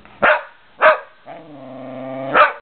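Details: Shetland Sheepdog barking at squirrels: three sharp, loud single barks, the second and third separated by a longer, steady whining tone lasting about a second.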